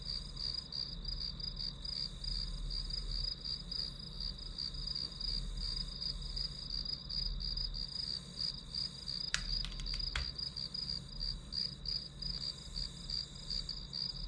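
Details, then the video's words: Rapid, even chirping of grass insects, high-pitched pulses repeated about three times a second above a continuous shrill tone, with a couple of faint sharp clicks midway and a low steady hum beneath. "풀벌레 소리"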